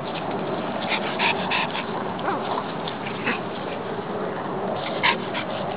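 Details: Two short-haired Brussels Griffons, Chance and Brutus, playing together in a park; a few short, sharp yips and barks stand out around one, three and five seconds over a steady hiss of outdoor background noise.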